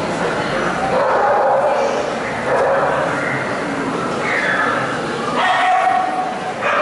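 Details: Alaskan Malamute at a dog show in San Marino, 2019, on its second day: drawn-out whining, yodel-like tones that rise and fall in short bursts over a steady hubbub of crowd chatter.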